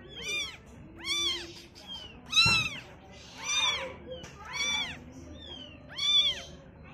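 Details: Young kittens seeing the world for the first time, giving high, arched meows in a steady series, roughly one every second, with a brief knock partway through.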